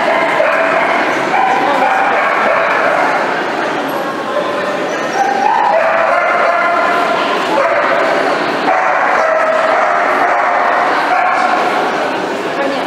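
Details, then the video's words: Loud, unbroken whining from miniature dachshunds, many short rising and level whimpers overlapping into a dense, restless chorus with occasional sharper yips. "Такса мини дш"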